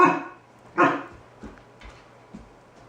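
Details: Kai, a 4-month-old Alaskan Malamute puppy, reacts indoors to a balloon he fears while being offered treats: one loud, sharp bark, a second equally forceful bark under a second later, then a few faint soft thumps in a quiet room.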